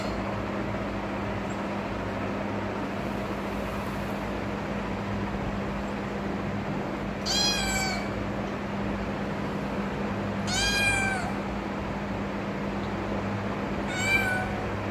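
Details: Persian kitten meowing as it asks for help, giving three bright, harmonic-rich meows in the latter half, each under a second long, against a constant low background hum and otherwise quiet room.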